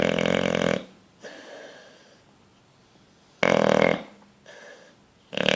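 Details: Bulldog asleep and dreaming, producing raspy, gurgling snores with soft breathy sounds and quiet stretches between them.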